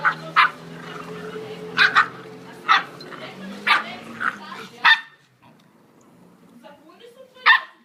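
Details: American Staffordshire Terrier puppies yipping in sharp, high bursts, about one every second for five seconds, over a steady low hum, then a pause and one last yip.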